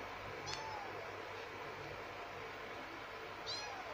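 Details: High, thin meows from two kittens, one male and one female: one brief squeak early and another short cry near the end, against a steady hiss of background noise.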